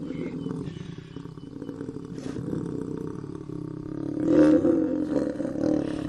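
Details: Low, throaty, continuous growling roar from an African lion, steady at first, then swelling louder and rougher after about four seconds before easing slightly.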